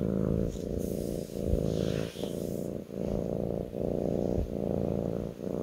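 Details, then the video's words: Low rhythmic purring from a kitten on someone's lap, the rumble pulsing in phases of under a second, with a short burst of rustling or handling noise early on. "ASMR kitten purring on my lap"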